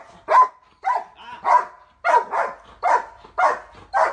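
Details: Pet puppy crying as someone jokingly pretends to hit it, a run of eight short high yelps roughly every half second, each a brief whining squeal, with people laughing around it.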